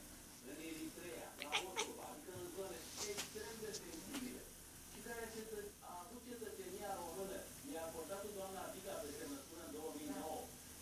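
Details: Pet cat described as talking to her imaginary friend: soft, quiet, murmuring trills and short meow-like syllables strung together in chattering phrases, with a few faint clicks early on, indoors.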